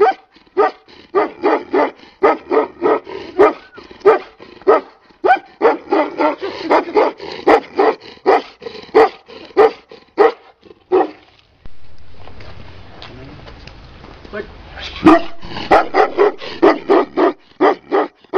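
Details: Tibetan Mastiff barking in a long run of loud, deep, evenly spaced barks, each short and booming, with a brief pause near the middle filled by low rumbling noise before the barking resumes.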